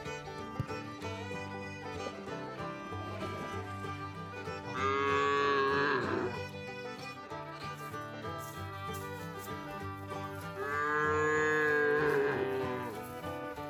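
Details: Free-range cows herded on green grass pasture give two long, drawn-out moos above steady background music.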